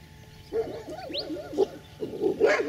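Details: On a farm, dogs far off in the background bark in short, muffled bursts while the owner's dogs are on alert. Dog.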